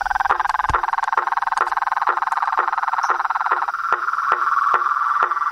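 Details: Wild frogs, toads and treefrogs: a continuous buzzing, finely pulsed trill at a steady pitch, overlaid by regular sharp clicks about every half second.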